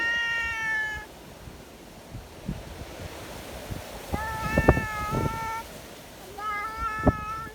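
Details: Friendly community cats gathered together in strong wind, wanting to be petted; three harmonic meows, the first a level tone about a second long, later ones shorter and overlapping, over low rumbling wind and handling noise.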